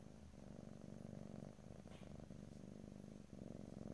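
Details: A cat purrs continuously, recorded close up in stereo from ear to ear with no talking. The rumble is low and evenly pulsed, with brief dips as breath changes and a few soft clicks.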